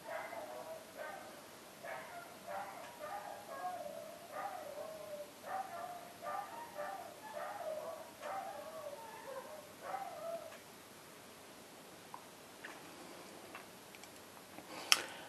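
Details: Dogs barking in a quick series of short, fairly high, harmonic-rich yaps, some drawn out into brief whiny notes, for about ten seconds before falling quiet. A sharp click sounds at the very end.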